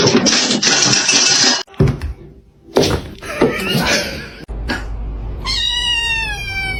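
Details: Domestic cat uttering a short, high-pitched, wavering meow near the end, following loud bursts of noise and indoor voices.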